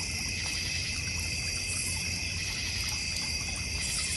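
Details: Steady cricket chorus from a North Georgia Mountains backyard with a goldfish and koi pond. Several high, even, pulsing trills overlap without pause above a faint low background hum.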